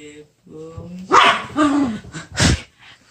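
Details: Excited pet poodle at home in the morning, upset that its older brother is leaving for school: a thin whine at first, then two loud, sharp bark bursts, with people talking nearby.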